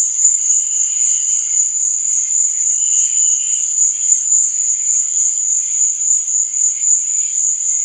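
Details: At night, crickets keep up a piercing, even trill without pause, while quieter scratchy chirps flicker beneath it at a lower pitch.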